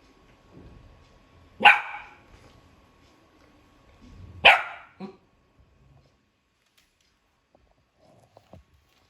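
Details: Golden Retriever puppy trying to help its owner with his work, giving two sharp, loud single barks about three seconds apart, the second followed by a brief softer yip, then near silence with faint clicks.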